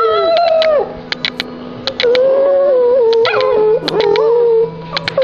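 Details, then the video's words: A Silky Terrier 'sings', howling in drawn-out, wavering tones that slide down and then level off, with a few short breaks and scattered clicking sounds around the howls. "Silky Terrier Singing (Howling)"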